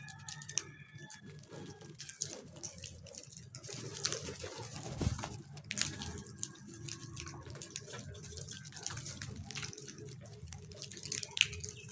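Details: Irregular water drips and splashes over a low background rumble, with no clear animal voice.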